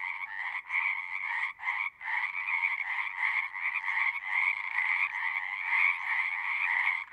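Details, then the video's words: Loud, close chorus of singing frogs, harsh buzzy croaks in rapid overlapping bursts with brief gaps early on, then merging into a near-continuous rasping trill. "One hour of singing frogs."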